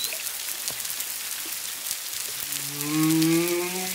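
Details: Distant humpback whale singing off Culebra, Puerto Rico, 25 February 2022, about one to two miles out, a second whale also present; after a stretch of crackling hiss, one slowly rising harmonic moan swells in near the end.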